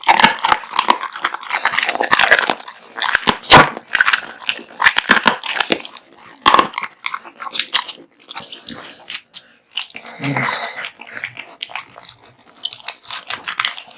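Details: A large meal of raw meat and bones eaten by Kotetsu, a male American Bully dog: busy crunching and gnawing with loud isolated bone cracks, slowing to sparse chews near the end and a brief low rumble midway.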